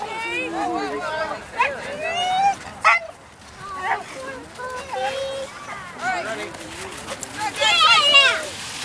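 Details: Husky giving a run of wavering, whine-like vocal calls that slide up and down in pitch, some drawn out and others short and yelping, with a louder burst near the end; splashing water is heard underneath.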